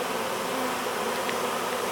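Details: Swarm of honey bees streaming into a hive from a board at its entrance, bees lined up fanning; continuous even buzzing drone throughout, with a brief faint higher flick near the middle.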